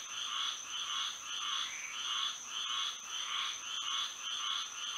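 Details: A moonlit Florida night filled with frogs singing; rhythmic rasping croaks pulse steadily, close to two per second, beneath an unbroken high whine.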